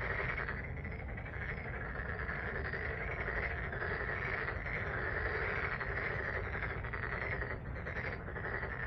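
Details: Continuous chorus of frogs at Jeonju's Deokjin Park in Korea, short grating croaks repeating rapidly and blending into a constant throbbing texture over a low background rumble.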